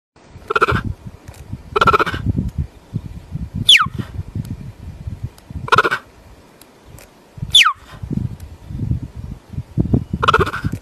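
A cheetah gives sharp, high chirps that sweep steeply downward, mixed with rougher bleating bursts.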